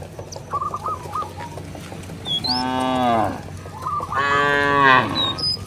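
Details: A cow roaming a village field moos to call its companions back to the barn. Two drawn-out, harmonic moos arrive about a second apart, the second louder and longer. Small birds twitter and chirp throughout.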